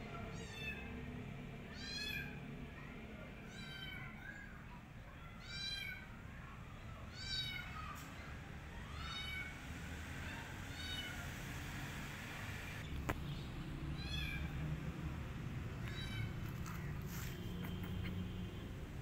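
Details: Rescued kittens tucked into a jacket for safety cry in a quick run of about seven high-pitched, arching meows, then quieten to soft rustling against a constant low hum.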